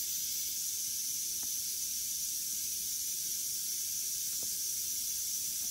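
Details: A western diamondback rattlesnake striking and killing a mouse; the high, even, hissing buzz runs without pause, with a couple of faint clicks in the background.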